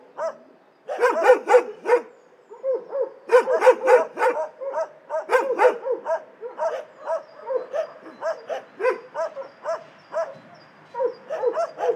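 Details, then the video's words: Dogs barking in an animal shelter: several dogs give rapid, rough barks in uneven bursts, three to four a second, overlapping and echoing, with short gaps between volleys. "Szczekające psy w schronisku"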